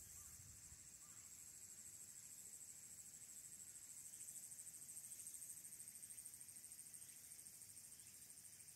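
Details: Recorded 22 August 2022 on a smartphone at the Aburayama Kannon lookout, Mount Abura, Fukuoka, Japan: Walker's cicada producing a continuous high-pitched, pulsing drone that swells slightly midway, with a soft low background hum.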